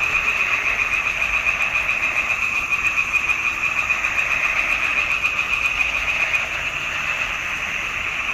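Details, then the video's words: Frogs calling in a swamp pond in June 2021: a dense, continuous chorus of rapid pulsed croaks around a steady high band, loud and unbroken throughout, many callers overlapping. "Il canto delle rane in palude."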